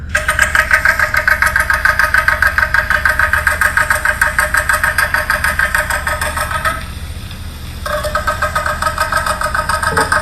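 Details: Endangered Puerto Rican crested toad mating call, a long, rapid, buzzing trill. In the wild it breeds in the rainy season, calling from the edges of small temporary vernal pools in Puerto Rico. The recording is played at a zoo.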